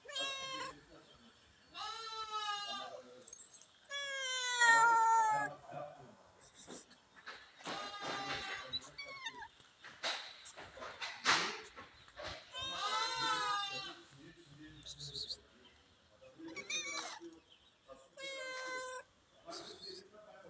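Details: Domestic cats at feeding time, several voices overlapping in a run of loud, drawn-out meows, some rising then falling, with short quiet gaps and brief scuffling noises between calls.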